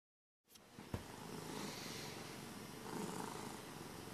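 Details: A happy domestic cat purring, a steady soft rumbling drone after a brief silent start, with one sharp click near the beginning.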